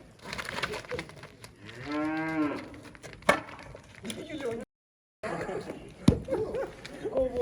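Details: Water buffalo during transport, giving one drawn-out moo with richly stacked harmonics that swells and fades over about a second, with clattering before it and music after a short silence.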